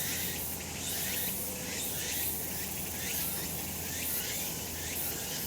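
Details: Summer mountain cicadas in the sun: a loud, unbroken buzzy chorus with quick repeated pulses and slow rising and falling swells, over a low steady hum.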